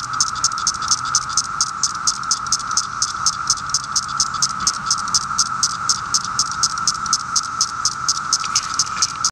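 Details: Male periodical cicada calling: a loud, continuous buzzing drone with rapid regular pulses, roughly two per second, running steadily throughout with no other clear sounds.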